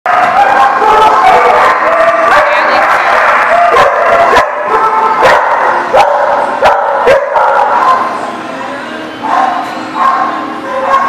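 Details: Dogs at The Barking Lot, filmed 1/29/18, barking over a dense, continuous chorus of overlapping voices, with sharp bark onsets scattered throughout and a busy crowd-like din filling the background.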